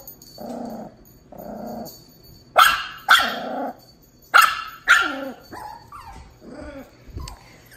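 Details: Two-month-old Miniature Pinscher puppy Tito meeting one-and-a-half-year-old Dachshund Jupiter: low droning growl-whines, then four sharp loud barks in two pairs, trailing into softer whiny yelps, with a woman speaking.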